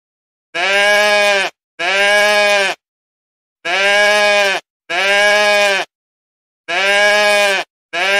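A goat bleats in loud, steady, nasal calls, each about a second long, repeated in quick pairs.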